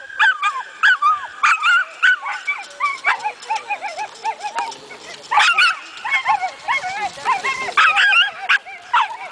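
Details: Saluki during coursing training, yipping and whining almost nonstop in dense, overlapping wavering cries with bouncing pitch, sometimes sharper barks, building in excitement.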